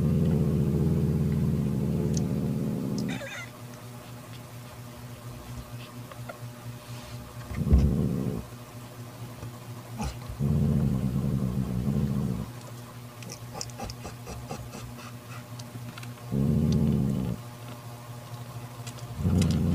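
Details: Mother cat Mocha, angry, growls to banish her jealous sister Kofi from her newborn kitten: low rumbling growls of one to three seconds recur several times with quiet gaps, plus faint clicks and rustles.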